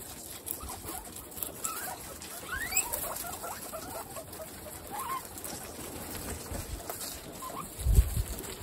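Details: Several pet guinea pigs from a group of 29 feeding on watermelon: short high squeaks sweeping upward, scattered among rustling and soft chewing noises, with a dull thump near the end.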